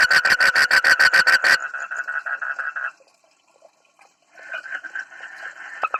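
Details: A frog's odd, amusing call opens with a burst of rapid, evenly spaced pulsed notes. These blur into a continuous buzzing drone, which stops for a moment of near silence before a softer rattling buzz returns with a few sharp clicks.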